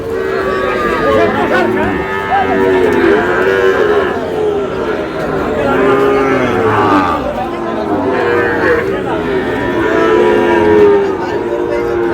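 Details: Many cattle, Sahiwal breed among them, bellow at a Bangladeshi livestock market as a Cox's Bazar farmer buys a bull calf. Long arching moos rise and fall every second or two over constant crowd voices.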